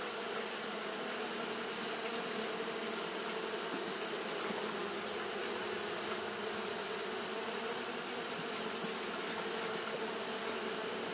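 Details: Japanese honey bees fanning through a hot day; a thick, even buzzing hum holds steady from start to finish, accompanied by a continuous sibilant hiss.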